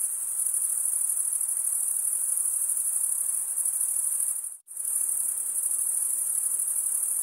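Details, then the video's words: Chirping crickets, mostly males, produce sound by scraping a wing across the comb-like teeth of the opposite wing; a dense high trill runs continuously except for one abrupt half-second silence midway, then resumes unchanged. "cricket sound"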